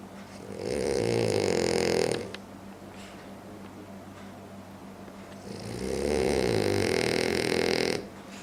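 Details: French Bulldog asleep and snoring loudly: two long, rough, vibrating breaths of nearly two seconds each, roughly five seconds apart, with quieter breathing and a low steady hum in between.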